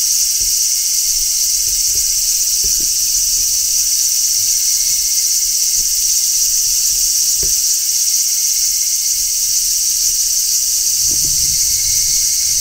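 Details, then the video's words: Midsummer chorus of large brown cicadas on trees, one continuous high sizzling shrill that never pauses, with a brief low rumble near the end. "Cicadas Sounds | Cicadas Singing in Midsummer | Large Brown Cicada"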